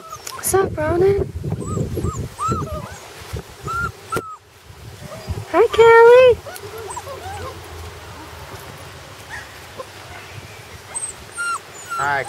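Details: Puppies on their first day outside, rural setting, giving high, rising-and-falling whimpers in short bursts, with a few sharper yelps around the middle; a girl's voice speaks potty commands between the cries.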